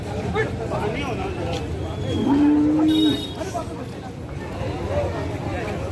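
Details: Cattle at the Malegaon cow market on 29 March 2024, where HF heifers in their first lactation are sold; a single steady, level, low moo lasting under a second rises over a background of market chatter and noise.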